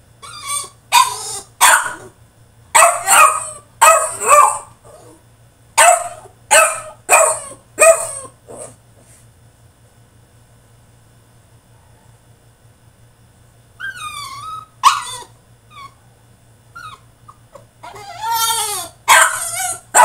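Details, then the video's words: French Bulldog throwing a tantrum in his cage, barking loud and rough in quick runs for about eight seconds, falling silent, then going back to high falling whines and harsh yelps, with a low hum throughout. "FRENCH BULLDOG THROWS TANTRUM IN HIS CAGE!!"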